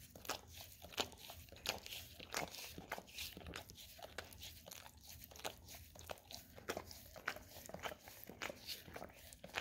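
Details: Indoors, a pet Golden Retriever works at a peanut-butter-covered Orapup tongue brush: crisp, bright smacking and scraping licks, loud and uneven, following one another rapidly.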